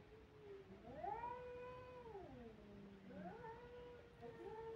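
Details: Crying kittens give long, plaintive meows that rise, hold, then slide down, with a second quieter cry starting after a short pause.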